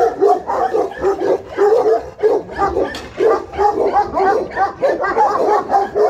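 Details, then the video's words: Alabai and Tibetan Mastiff guard dogs from Pogoanele, Buzău, Romania, giving fast, deep, repeated barks several times a second, voices overlapping in a steady noisy chorus. "Alabai & Mastiff Tibetan Guard BFR-Dogs"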